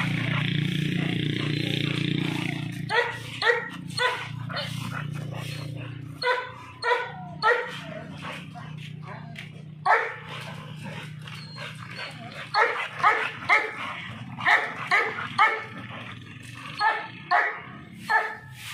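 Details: Barks from an American Bully come in quick irregular bursts after a quieter opening of low droning hum, with human voices mixed in between the sharp, repeated barks.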